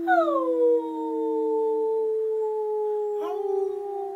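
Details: Pomeranian pet dog being trained to howl, howling on its first try: a sustained tonal howl that drops at the start and then holds steady, with a second, lower steady tone running beneath it for the first two seconds.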